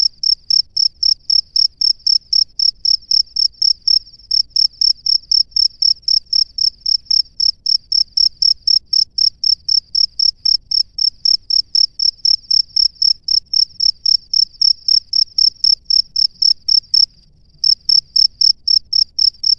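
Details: Male cricket calling females from its burrow, giving a long, regular train of high-pitched chirps near four per second, briefly pausing once before resuming, over a quiet low hum.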